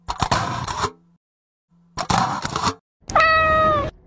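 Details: A cat gives a single drawn-out meow, steady and clear in pitch, holding for under a second. Before it come two loud, harsh noisy bursts with a short silence between them.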